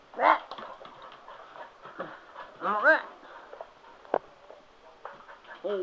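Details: Sugar, a male Cocker Spaniel, worked up over a spin mop indoors, gives short high whining yelps with arched, wavering tones, two louder bursts near the start and middle, mixed with a person talking and laughing.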